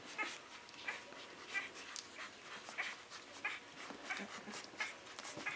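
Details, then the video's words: Six-day-old Great Dane puppies making soft, high squeaky whimpers and yips, short peeps repeated irregularly about every half second over faint background hiss. "Grand Danois Puppies 6 days"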